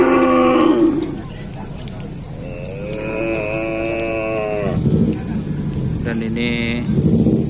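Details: Cattle at a kerapan sapi bull race at Griduh Onggu, with bulls from Sapudi island. A loud moo opens, followed by a long, steady, drawn-out low call. A man speaks and a busy crowd murmurs behind.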